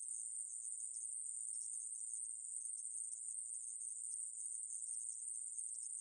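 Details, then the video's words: A steady shrill buzz from a conehead katydid (애매부리), recorded by Korea's National Institute of Biological Resources in 2020, continuous and high-pitched with faint wavering, set against silence. "애매부리, 여러번 듣기, 곤충소리"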